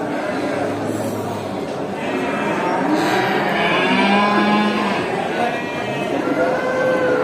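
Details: Herd of farm cows walking back to the barn after grazing, herded by the farmer in a village; dense murmur of overlapping lowing with a few longer moos standing out, possibly faint voices in the background.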